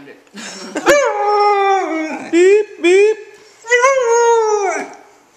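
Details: Husky puppy responding to beeping noises it dislikes with short rising howls and yowls, mixed with human voices and a sharp click near the start.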